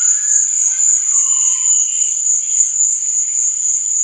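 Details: Crickets chirping at night: a steady, very high-pitched trill that runs unbroken through all four seconds, with faint, softer lower tones drifting beneath it.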